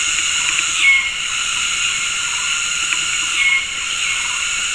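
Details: Afternoon chorus of cicadas in tropical forest at Gunung Ledang Nature Reserve, West Malaysia, giving synchronized mating calls from several directions: a steady high hissing buzz, punctuated by two short thin bird whistles.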